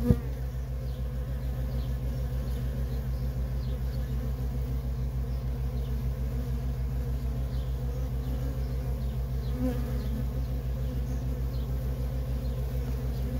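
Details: Worker honey bees in nonstop traffic at a feral colony, a dense, wavering buzz layered over a steady, pulsing low hum that runs throughout.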